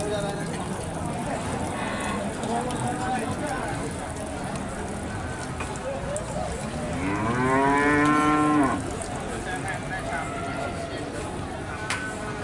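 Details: Limousin cattle at Nganjuk's Pon livestock market in East Java, Indonesia: after quiet market murmur, a loud rising moo with rich harmonics swells for nearly two seconds, then stops abruptly; crowd noise continues throughout.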